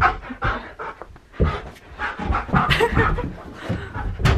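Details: Keyush the Siberian Husky mid-zoomies in a small indoor room: steady, breathy panting with scattered thuds and scrabbling as he races about after the frisbee.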